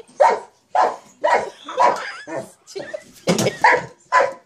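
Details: Playing with a jack-in-the-box sock monkey, a mastiff barks about ten times in quick succession, loud and uneven in rhythm, with a rough noisy burst partway through.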